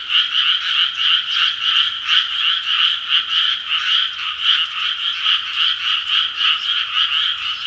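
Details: A chorus of frogs at six in the evening: many overlapping croaking pulses blur into a continuous, throbbing trill that swells and dips every fraction of a second without pause.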